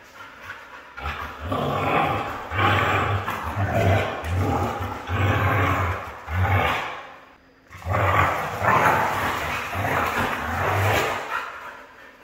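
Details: Red female Siberian husky vocalising in a long run of throaty, rumbling bursts, rough growl-like syllables strung together with brief pauses and a short silent break, over faint background hiss.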